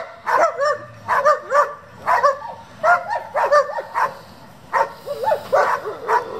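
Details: German Shepherd of a working group kept for breeding and competition, giving steady rounds of barks, often in pairs or triplets, about two to three bursts each second, loud and clear against a quiet background.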